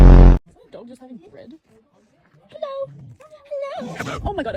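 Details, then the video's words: A dog making strange noises: a loud burst opens, then short wavering, voice-like moans and grumbles, mid-pitched with bending tones, ending in a longer rising-and-falling whine with rough edges. "Strange noises made by dog."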